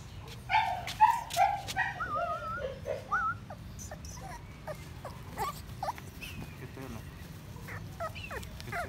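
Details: American Bully micro puppies of Bolow jr bloodline in Odisha, India; several high whimpers and yelps in the first few seconds, then softer scattered squeaks over a low background hum.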